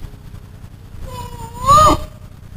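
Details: Bear cub searching for its mother, a somewhat whiny yet bear-like voice: one drawn-out, wavering moan that rises and swells near its end, over low rumbling background noise.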